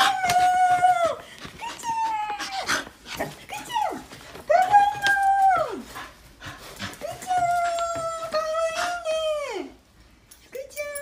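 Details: Shiba Inu Fuku, a pet dog, welcoming its owner home with long, drawn-out howling whines, each held steady and then sliding sharply downward, repeated about every two to three seconds with short yips between them, indoors.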